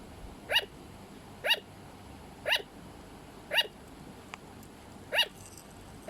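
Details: Sugar glider (Petaurus breviceps) bark call: short, sharp yapping barks repeated roughly once a second.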